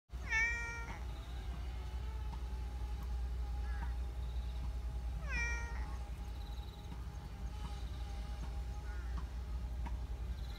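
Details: Black community cat living in a park in Japan, meowing sweetly while stretching; two clear falling meows with rich harmonics about five seconds apart, then fainter short mews, over steady low hum and a faint constant tone.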